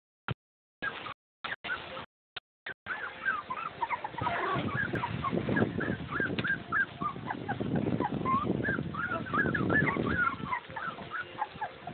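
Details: Litter of eight three-week-old Boxer puppies, sired by a white Labrador. A few isolated squeaks, then a dense overlapping chorus of short rising and falling whines and yelps, with shuffling and rustling beneath.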